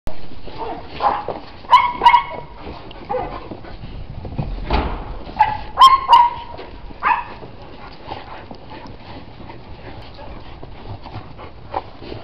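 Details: Pet dog out in the snow gives short barks mixed with squeaky yips, bunched near two seconds and again near six seconds, between stretches of rustling, crunching outdoor noise.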